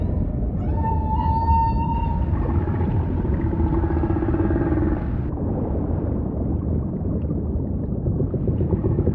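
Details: Singing humpback whale amid ocean rumble: a long, steady, high moan rich in overtones, joined by a lower sustained hum, both fading after about five seconds into background water noise.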